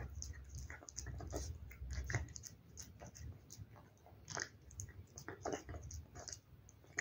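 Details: Cat busily chewing wet food, giving a thick stream of squelchy smacks and clicks with a muffled low thumping undertone, the pace brisk and uneven throughout.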